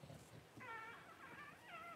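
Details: Newborn Cavalier King Charles Spaniel puppies just whelped at home by their mother Paris on January 1. Thin, high, wavering squeals with stacked overtones begin after a brief quiet moment and run in two long cries, with low room noise beneath.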